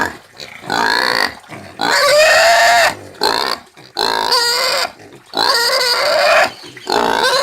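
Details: Country pig screaming: four loud, drawn-out squeals of about a second each, harmonic and slightly rising, separated by short quiet gaps and a few lower grunting sounds.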